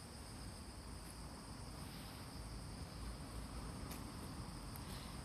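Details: Autumn insects calling on the morning of 6 September 2020 in Fujimori Park, Hachioji, Japan, during light drizzle after early rain; steady high-pitched ringing bands hold throughout over low rumbling background noise, with occasional faint clicks.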